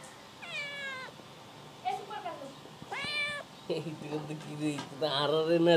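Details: Domestic cat meowing several times: clear rising-then-falling harmonic meows, two of them loud and drawn out, with shorter, softer mews and a human voice talking in the background toward the end.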